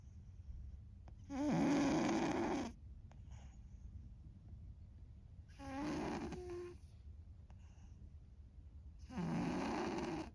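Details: A cat named An, long known for loud snoring, asleep indoors: three loud, broad rasping snores about four seconds apart, each lasting around a second, with quiet breathing between.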